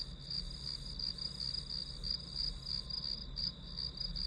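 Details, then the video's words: Grass insects chirping as study background noise: a steady high-pitched trill pulsing about three times a second, with a continuous faint higher band and a low rumble beneath. "풀벌레 소리"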